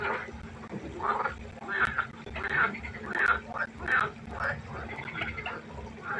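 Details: Nighttime pond frogs in chorus, producing a quick run of harsh, quacking croaks at irregular intervals, with more distant callers and a faint steady hum behind.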